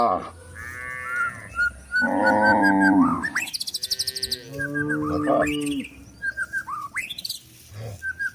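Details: Forest cows being herded into their pen while seeking food; repeated deep bellowing moos, one strained and coarse, overlap with quick bird chirps and whistles, plus a person's voice urging the animals along.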